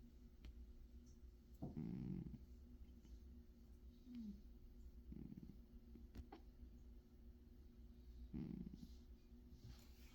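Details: Cat snoring in its sleep: low, rough breaths come about every three seconds, each a short rumbling rasp, with faint room noise between them.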